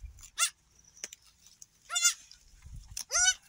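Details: Newborn goat kids, one of three just born on an off-grid homestead, bleating as they search for the mother's teats; a few short wavering bleats spaced about a second apart with soft rustling.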